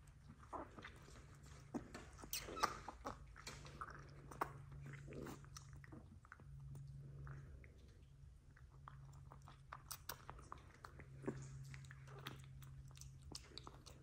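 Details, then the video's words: XL American Bully puppies being bottle fed indoors, one of a litter of ten, with wet suckling and chewing noises, soft grunts and a steady low hum throughout. "Bottle Feeding XL American Bully Puppies"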